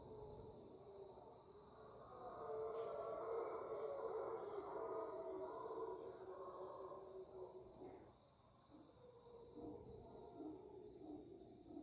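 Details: Mantled howler monkeys give deep, rumbling roars that swell and fade over a steady insect drone, recorded at 5am as the dawn chorus in the Panamanian rainforest on March 8, 2023.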